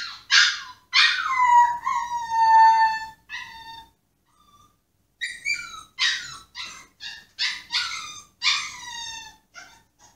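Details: Yoshi the Pomsky, protesting being put in his cage, opens with a long wavering howl that drops in pitch, falls quiet, then resumes with a string of short, rough yelping whines.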